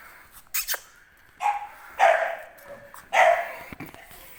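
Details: English Bulldog puppies at a breeder, giving three short, hoarse barks a second or so apart, with sharp clicks and knocks between them.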